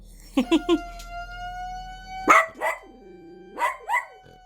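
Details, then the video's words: Pet dog reacting to a fire-inspection siren: a steady tonal siren wail runs through, while the dog gives three quick yips, then a loud bark and wavering howling barks rising and falling. "소방점검 사이렌 소리에 강아지 반응"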